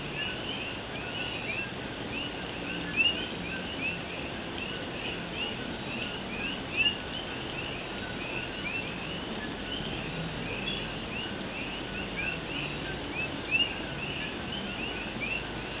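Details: Rain on an old tin roof and a steady night chorus of Puerto Rican coqui frogs in Puerto Rico; countless rising chirps repeat in overlapping waves, while three or four closer calls ring out sharply above the downpour's hiss.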